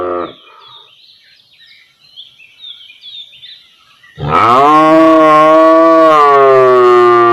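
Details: Standing village cow calling to her calf; a previous moo cuts off at the start, soft bird twitters fill a quiet gap, then a loud sustained moo with a deep, steady tone swells up and carries through the remaining three seconds.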